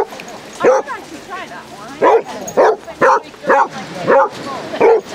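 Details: Basset Hounds in a pack of thirty on a sunny Devon beach at Exmouth, giving loud single barks about every half second, each a short rising-falling bay, with faint voices behind.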